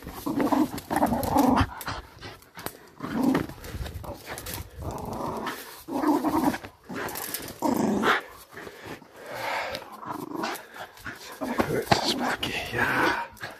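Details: Fell Patterdale terrier pup, 10.5 months old, during a tug workout with old jeans; rough, low growls come in repeated bursts every couple of seconds, with short spoken commands between them indoors.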